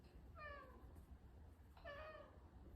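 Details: Two short, clear meows, each falling slightly in pitch, come from Kai, a six-year-old Maine Coon suffering from a nasal tumour, indoors while a woman speaks to him between calls.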